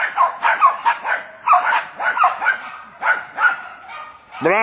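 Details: Several Jack Russell Terriers working a wild boar, giving rapid, sharp barks in uneven bursts while a man shouts encouragement and praise in Italian; a rising whine-like sound at the end.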